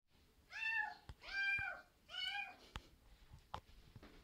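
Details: Maine Coon cat. A young Maine Coon cat meows three times, each cry harmonically rich, arching up and then sliding down over about half a second. A few sharp clicks and taps sound between the calls in a quiet room.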